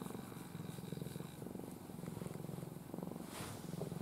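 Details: Ai, a pet cat from a family of former strays, lies sleeping in her owner's arms in a face-covering pose. She purrs steadily: a low, rumbling, pulsed drone that runs unbroken throughout.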